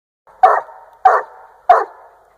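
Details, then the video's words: Young Treeing Walker coonhound, 1½ years old, treeing a raccoon while hunting in Northern Missouri: three loud, sharp chop barks about 0.6 seconds apart, each trailing off with an echo. "Bonecollector dog Treeing Coon."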